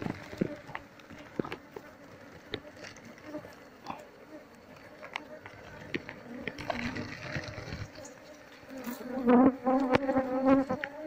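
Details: Disturbed honey bee colony, nest combs removed from a speaker box before the queen is sought; soft background drone with frequent clicks and taps, swelling into a loud, wavering buzz near the end.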